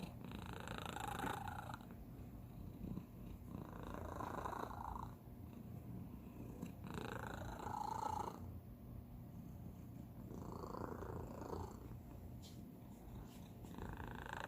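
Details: Youngest house cat with a special, atypical purr: deep continuous rumbling with breathy squeaky tones rising every three seconds or so, heard close up indoors.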